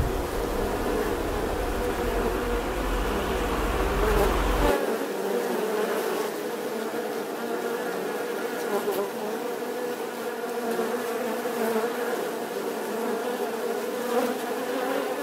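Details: Bees buzzing in a continuous hum, opening over a low rumbling background that drops away after a few seconds, leaving the drone alone.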